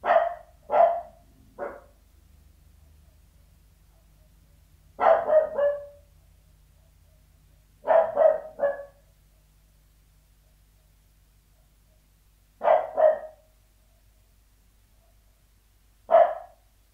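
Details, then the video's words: Indoor recording of a Sealyham Terrier barking behind a door: clusters of two or three sharp barks with isolated single barks, separated by gaps of several seconds. "Sealyham Terrier Barking Behind Door, Interior"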